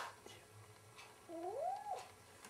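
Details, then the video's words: Domestic cat fighting its own mirror image indoors, giving a single drawn-out yowl that rises and then falls over about a second, with faint scuffing and handling noises around it. "kaķis kaujas ar spoguļattēlu"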